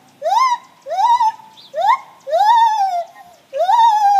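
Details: Gibbons singing in the morning: loud rising whooped notes that swoop upward and level off, five calls with brief pauses, each rich in overtones.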